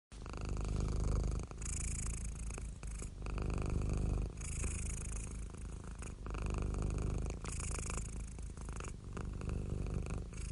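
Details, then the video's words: Happy, relaxed domestic cat purring steadily; a low continuous rumble pulsing in breath-long cycles, with soft breathy hiss on each inhale and brief quieter pauses between. "Happy Cat Purring"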